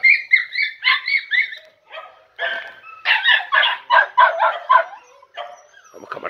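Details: Podenco Andaluz puppies, a litter of four about three and a half months old, in a riding ring for the first time, giving rapid high yipping barks in quick bursts, several per second, with short pauses between runs.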